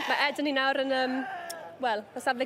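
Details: A long, steady, quavering bleat from Welsh Black Mountain Sheep, held for nearly a second, followed by shorter, broken bleats near the end.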